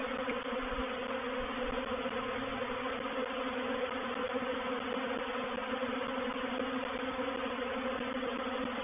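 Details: Bait hive at Painted Peacock Manor on 04/07/21 as a honey bee reproductive swarm moves in. A thick, loud, constant drone with humming tones stacked above one another and no pauses.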